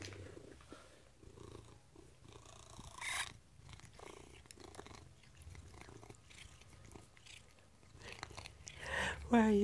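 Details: A female Maine Coon cat being fed treats gives a short, bright chirp after low purring, while a woman talks softly.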